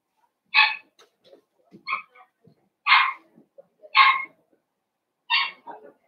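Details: Blenheim Cavalier King Charles Spaniel puppies in a home puppy pen, from a New Year's litter of five: five high, sharp yapping barks about one second apart, with small snuffles and faint thumps between them in a quiet room.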